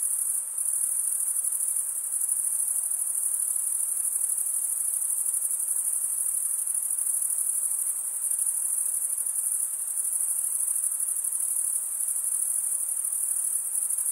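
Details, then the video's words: Male crickets stridulating, wing drawn across the comb-like teeth of the other wing, produce a constant high, even trill lasting the whole stretch, over soft background hiss. "Most relaxing cricket sound"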